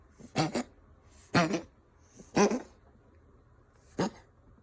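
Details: A female Ragdoll cat coughs and wheezes in four rough, airy bursts about a second apart, each with a rasping edge, the last shorter and sharper; unclear whether a hairball or illness.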